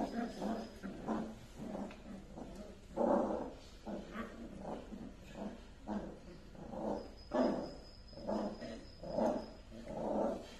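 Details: Pet Dachshund giving a steady run of short, low gruff barks and grumbles, roughly one or two each second, over faint background hum and a brief thin tone.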